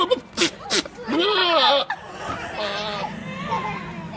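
A goat gives strange, wavering, voice-like bleats after a couple of sharp snorts.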